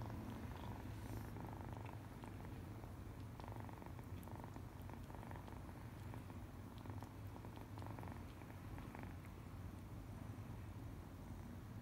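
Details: Happy purring from a little one-eyed foster kitten, a male, enjoying being petted; deep, even vibrating hum sustained for the whole stretch with gentle breath-timed swells and slight rubbing noises.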